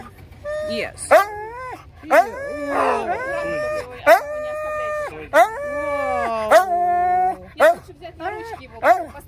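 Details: Young male Siberian Husky at a Russian mountain kennel housing 51 huskies with puppies, vocalizing in long, wavering, whining howls that rise and fall in pitch, several drawn-out 'talking' notes in a row, while a woman talks and laughs over it.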